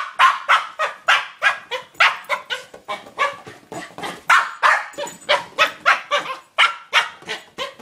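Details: Cooper the corgi plays with a new toy ball, letting out rapid, sharp, high yapping barks roughly three per second in a steady pounding rhythm, with no other clear sounds.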